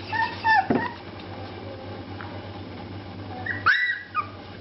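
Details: Shar Pei puppies at play giving two short, high whiny yelps, one bending downward near the start and another sliding upward about three seconds later, over a steady low hum.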